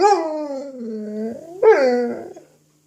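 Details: Dog playing with an apple, giving a drawn-out, moaning growl-howl that sinks in pitch, then a second sharper rising burst that falls away, in a quiet indoor room.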